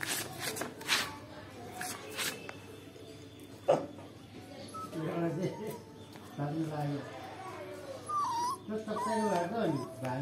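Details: A Bhote Kukur puppy whimpers and whines in high, wavering rising-and-falling tones, several short cries in the second half, with a person speaking and faint background noise throughout.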